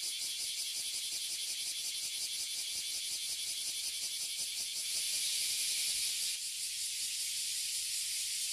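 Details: A tree full of oily cicadas and bear cicadas (abura zemi and kuma zemi) in Toyohashi City, Japan. A shrill, steady, pulsing buzz swells briefly louder near the middle, then settles back to its constant drone.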